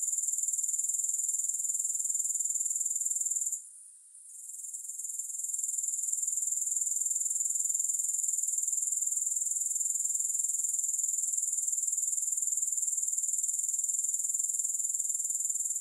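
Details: Grasshopper chorus: a steady, very high, hissing trill with fine pulses about four per second. It drops out briefly near four seconds, then swells back to full strength. No other sounds.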